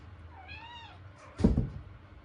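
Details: Kitten giving a cute meow: one clear arching mew lasting about half a second, rising then falling, followed by a dull knock or thump against a low indoor hum.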